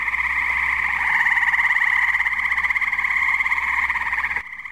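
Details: On a muggy night at a New Jersey pond, a tree frog chorus fills the air with a steady, fast-pulsing buzzy trill of many overlapping callers, then cuts off abruptly near the end.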